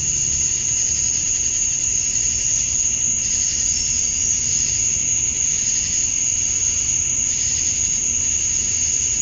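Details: Summer-dusk chorus of male cicadas in Georgia, USA, calling to attract females: continuous piercing high-pitched buzz holding level, faint swells every second or two in the upper band, soft low background rumble.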